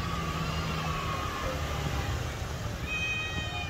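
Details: Domestic cat giving a long, slightly falling harmonic meow that lasts over a second, then a second drawn-out meow starting near the end, over a steady low rumble.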